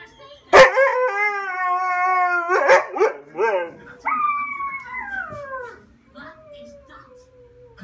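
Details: Siberian husky crying: a loud yelp, then drawn-out harmonic wails that hold steady, slide downward and waver, ending in a fading low whine.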